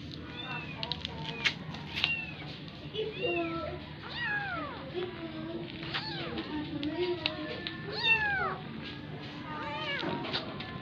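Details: Persian cats meow repeatedly with high, arching, overlapping mews as an adopted kitten is made to nurse from a mother cat that is not her own.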